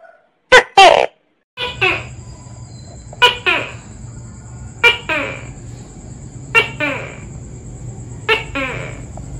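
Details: Tokay gecko (Gekko gecko), arboreal and active at dawn and dusk, gives loud two-syllable calls, sharp then falling, repeated about every one and a half seconds, over a steady high electrical whine and low background rumble.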